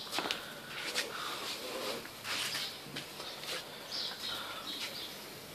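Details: Tosa puppies from Hime's litter at a kennel in Romania: thin, high whimpers and squeaks, some rising in pitch, come in short bursts several times across five seconds, with rustling and handling noise between them.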